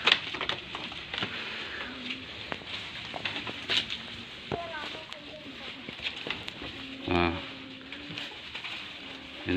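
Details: Goat inspected for suitability as an aqiqah sacrificial animal, letting out one short, loud, harmonic bleat near the end, surrounded by steady talking, clicks and handling noises.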